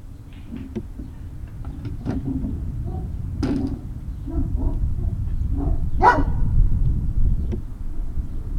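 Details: Great Dane puppies at Puppy Hill, 19 February 2019 around 19:45: a busy run of short yips and small barks with one louder, higher yelp near the sixth second, over a constant low rumble.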